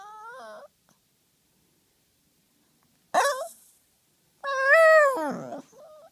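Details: Female Yorkie Pekingese named Nugget 'talking' to ask for play: a brief whine, then a sharp yelp, then a long wavering moan that swoops up and falls away at its end.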